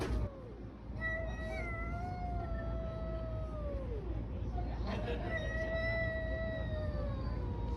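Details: Fighting street cats giving long, tense howls that hold steady then slide down, pause, and resume as a second drawn-out wail, over constant low rumbling noise.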